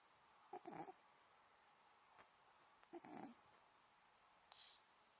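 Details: Deeply sleeping old Scottish Fold cat: two short nasal, rasping snores about two and a half seconds apart, then a soft high breathy puff, in a quiet indoor setting.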